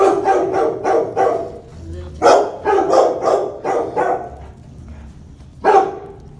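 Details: Jojo, a Labrador Retriever, barks in his kennel: a quick run of about seven sharp barks, a brief pause, another rapid burst of five, then one final bark after a short quiet gap.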